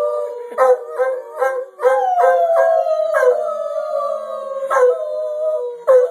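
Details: Domestic dog coaxed into howling, giving a sustained mid-pitched howl that glides gently downward with strong overtones, punctuated by repeated short sharp bursts of sound roughly every half second.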